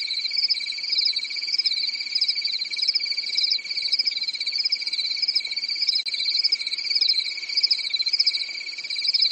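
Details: Nighttime cricket chorus in a quiet European summer forest, with dense, unbroken, high chirping that pulses in waves about every second. The pulsing rises and falls slightly in loudness. No other clear sounds are heard.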